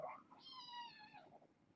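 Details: One young foster kitten from a litter born August 29th gives a single drawn-out, steady, high mew lasting under a second at bedtime. A soft low sound is heard at the start.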